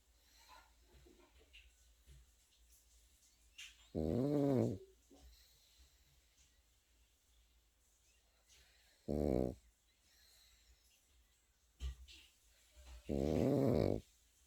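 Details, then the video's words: A Pekingese puppy snores in its sleep: three throaty, vibrating snores at irregular gaps of four to five seconds, with a small snort in between and a quiet room around. "패키니즈 코고는 영상"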